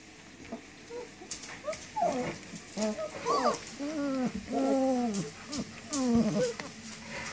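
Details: Puppies whining in a string of high, tonal yelps that rise and then fall, with clear harmonics. Roughly eight cries come in irregular bursts over seven seconds against a steady background hiss.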